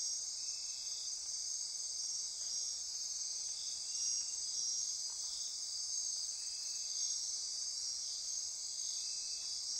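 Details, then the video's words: Nocturnal rainforest insects on Costa Rica's Osa Peninsula near Corcovado National Park, a steady shrill trilling wall of sound with soft pulsing undertones, unbroken throughout. "Midnight Insect Chorus"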